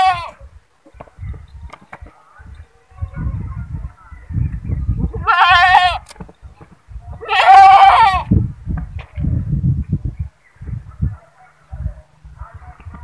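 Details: A goat (Capra hircus) gives two loud, wavering, nasal bleats over low rumbling background noise.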